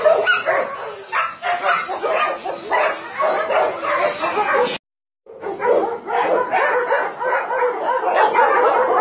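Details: Barking of many penned dogs at a puppy mill and dog meat farm in Nonsan, South Korea, January 2017; a dense wall of repeated barks breaks off briefly midway, then resumes just as loud.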